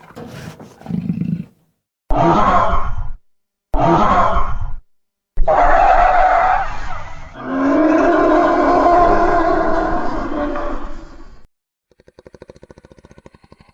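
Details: Jaguar roaring: three short rasping grunts about a second apart, then a long, rough, drawn-out roar lasting several seconds that fades out, followed by a faint buzzy rattle.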